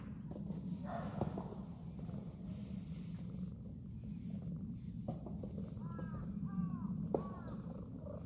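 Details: Calico stray cat encountered during a New Year cat walk purrs continuously in a low, even drone, broken late by a pair of brief arched meows and a sharp tap.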